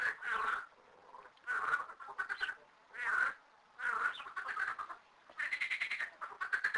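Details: Frogs, thirteen in two small garden ponds, calling together: loud, rasping, quacking croaks in pulsed bursts of about half a second to a second, coming roughly every one to one and a half seconds, with brief quiet gaps between.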